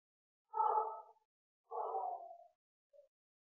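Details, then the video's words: Bengal cat at breeding time giving two drawn-out, mid-pitched, harsh calls of about 0.7 seconds each, spaced about a second apart, then a short faint note; otherwise quiet. "Phối giống mèo bengal"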